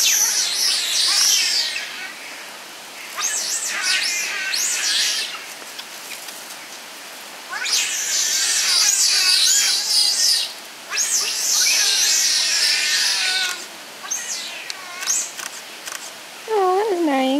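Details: Giant otter family of six, including two cubs born in captivity at Chestnut Centre, Chapel-en-le-Frith, recorded 25 June 2011: high, wavering squealing calls in long bursts with short gaps, a few brief lower notes near the end, faint human voices.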